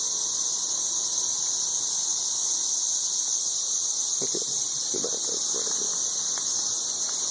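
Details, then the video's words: Deafening 13-year periodical cicadas outdoors in Nashville, Tennessee: an unvarying high-pitched sizzling drone throughout, with a man's brief speech in the second half. "Ridiculously loud 13-year cicadas"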